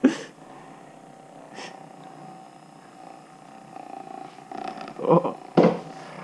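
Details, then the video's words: A female cat purring as she leans onto a massage gun; continuous soft rumbling purr broken by short bursts of a woman's speech near the start and end. "Massage gun and cats"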